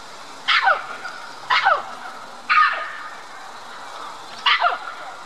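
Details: Red-capped mangabey high in a tree at Dublin Zoo, calling for attention and communicating with white-collared mangabeys across the lake. Four harsh, loud barking calls, each sharply falling in pitch, come about once a second over a steady hiss.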